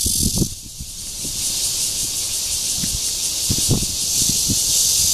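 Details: Courtship buzz of a red-veined bear cicada, Guangming Park, Zhongli, Taiwan, June 2013: a steady high-pitched hiss fills the clip while low rustling and knocking sounds come and go underneath.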